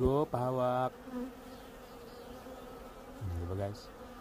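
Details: Honeybee in Canada flying close by with a loud, low, harmonic buzz that cuts in and out, then a quieter steady drone before a second close pass.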